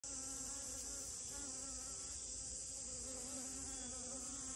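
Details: A western honey bee among rose moss flowers hums steadily, a low droning buzz over a constant high-pitched hiss.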